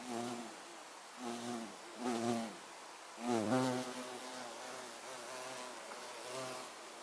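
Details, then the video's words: Violet carpenter bee (Xylocopa violacea), 24 September 2024, humming in repeated short bursts, a deep harmonic buzz rising and falling in pitch as it maneuvers close by, one louder swooping pass midway. "Abeille charpentière - Bourdon Xylocopa Violacea"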